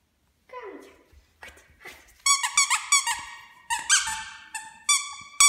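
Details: A Bichon Frise, just back from the groomer, gives a run of high, squeaky whines that rise and fall in short bursts.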